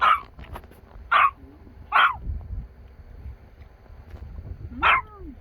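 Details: Excited dog barking on a visit to a family grave in Korea, four sharp barks spaced about one second apart with short gaps, low rustling and faint voices between them outdoors.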